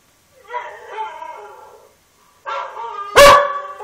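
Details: Border Collie howling: a wavering, drawn-out tonal cry, a pause, then a second rising howl ending with a sharp loud click or knock and a held tone.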